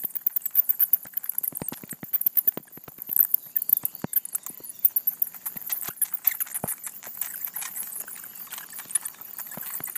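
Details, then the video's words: Bat colony roosting in a gable vent of a house in Atlanta, Georgia, reacting as someone peers into their home; dense scratchy clicks and patter with faint high squeaky chatter throughout, rustling bursts irregularly spaced. "Bats in a Gable Vent in Atlanta"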